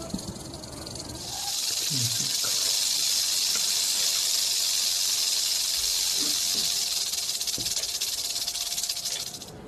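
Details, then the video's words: Rattlesnake rattling: a steady, high, hissing buzz that starts after about a second and holds continuously for roughly eight seconds, with faint low voices underneath at the start. "Rattlesnake Rattle Sound"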